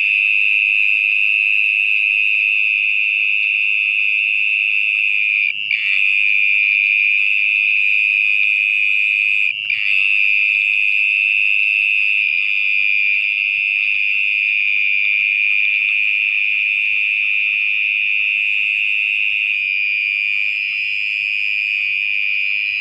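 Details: Sustained, piercing trill of a mole cricket (orong-orong) hidden underground in muddy soil after dark. It runs without a break for over twenty seconds, with two brief clicks of handling noise.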